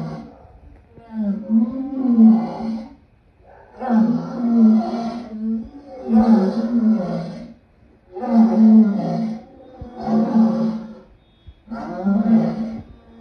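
A lion gives a series of deep, groaning roars, each about two seconds long, with short pauses.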